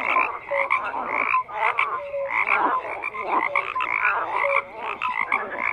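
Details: Many frogs croaking together in a dense, unbroken chorus of rasping, overlapping calls. Short clear piping notes rise above the grating din, and the loudness swells and dips roughly every second.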